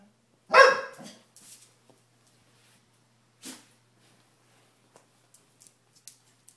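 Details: Sadie, a female bull terrier, jealous while her Pomeranian sister Nala steals her bone, lets out one sharp, loud bark. Brief quiet rustles and soft clicks follow in a small indoor room.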